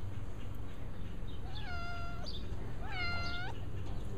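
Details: A male cat that rarely vocalizes gives two plaintive, sad-sounding meows about a second apart. Each is level through the middle and drops at the end, heard over a steady low hum.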